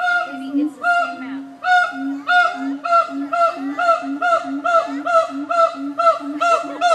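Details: Siamang apes in Nashville Zoo giving a fast, loud bout: harmonic barking hoots speed up to about two per second, layered over a sustained low humming tone, with overlapping voices.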